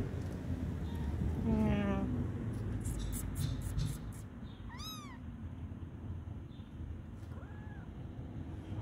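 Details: Stray kitten in a backyard during its first contact with people: a brief human voice early on, then one clear, high, arched meow near the middle and a softer second meow later, over steady low outdoor rumble.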